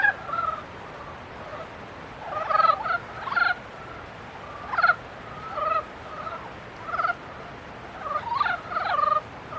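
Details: Frogs during their mating period, calling in scattered clusters of brief, rattling harmonic croaks, about two or three bursts every few seconds over a soft background hum.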